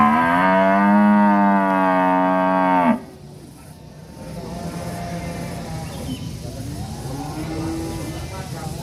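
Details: Angry village cow bellowing one long, level, strongly harmonic moo of about three seconds, cut off abruptly and followed by quieter rural background hum.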